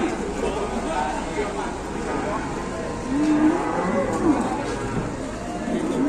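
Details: Large fattened cow in Indonesia lowing in a few short, low, bending tones in the middle of the clip, set against steady background noise and distant voices.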